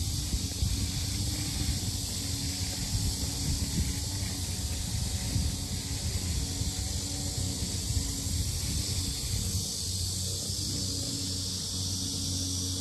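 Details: At Asan's Sinjeongho lotus complex in Korea, cicadas keep up a steady high buzzing drone, partly masked by heavy low-pitched rumble and a faint hum, with no clear breaks.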